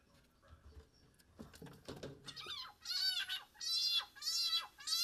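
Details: A wild-caught leopard frog, seized by a broad-banded water snake, gives loud, wailing distress screams in rapid repeated bursts after brief handling noises, calling on as it is eaten.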